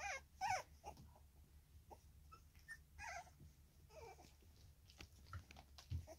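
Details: Three-week-old Staffordshire Bull Terrier pups of a single litter, filmed 10 August 2024: scattered thin, wavering whimpers and squeaks at irregular intervals, several in quick succession near the middle, over a low steady hum.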